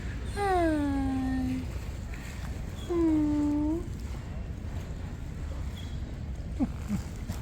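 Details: Hungry stray cat outdoors in the morning while being fed, giving two loud, drawn-out meows about a second apart, each starting high and sliding down to a steady tone, then a brief faint chirp over low wind rumble.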